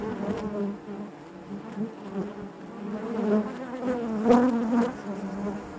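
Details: Many honey bees humming in the hive, a low wavering drone with layered overtones; one bee buzzes louder and higher near the end before the steady mass of sound settles again.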